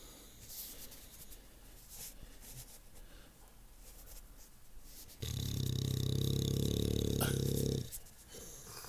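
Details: Violet the Bulldog snoring while asleep, likened to an old man: quiet room noise, then one loud, deep, rumbling snore lasting over two seconds, followed by a person speaking.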